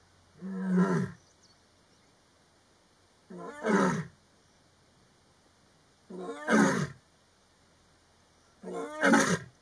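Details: Lioness of the Maji ya fisi pride roaring in the afternoon to communicate with other pride lions; four deep, grunting roars spaced about three seconds apart, each swelling then fading, over a quiet low background hum.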